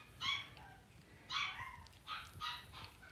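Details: Two-week-old blenheim Cavalier King Charles Spaniel puppies, a litter of five born on New Year's, in a home puppy pen during potty training; high, squeaky whining cries with bright overtones, four bursts roughly one per second.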